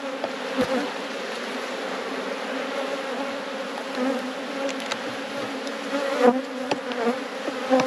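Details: Steady droning of a thriving honey bee colony as a beekeeper removes a honey box before checking the brood; even hum with scattered clicks and taps of equipment.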